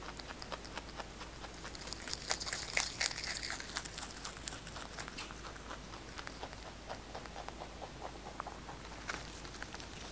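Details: Pet rabbit Kkotdol-i munches fresh basil leaves indoors. Rapid, slightly uneven crunching clicks run at about two per second. A denser burst of rustling crunches comes in the middle, then steady nibbling resumes against a soft room hush.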